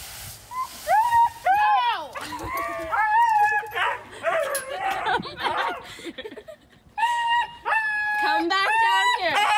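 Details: Husky throwing a tantrum during a bath: drawn-out, wavering howls and whines that rise and fall in pitch, some bursts of yips, in repeated vocal runs across the clip, with a person's voice possibly mixed in.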